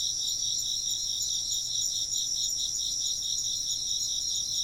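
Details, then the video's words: Brief stretch of insect chirping: a bright, high trilling chorus with a regular pulsing beat several times per second over a steady continuous hum of other callers. "風鈴の音と虫の声 - wind chimes and chirping insects"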